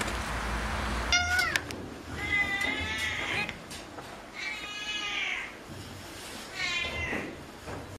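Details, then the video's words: A cat gives a series of loud meows, each a strained, wavering cry lasting about a second, with a short sharp yelp first and gaps of quiet hiss between calls. "Funny Cats and Kittens Meowing Compilation October 2020 😺💗 Noisy Cats and Kittens Meow"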